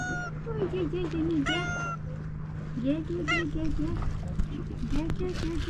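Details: Female tabby cat on a pier approaching a person, meowing to ask for food and attention: a series of short, wavering, plaintive meows, several in a row, over a steady low hum and background noise.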